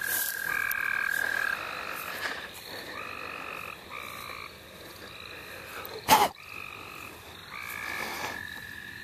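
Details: Quieter stretch of frog chorus at St. Olaf College Natural Lands: short, evenly spaced buzzy calls in pairs over a faint trill, with one loud thump of handling noise near the end.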